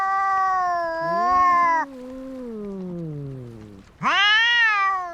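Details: Brawling cats: a sustained loud yowl, then a long falling lower moan fading down, before another sharp rising wail bursts in, clean recording with no other noise.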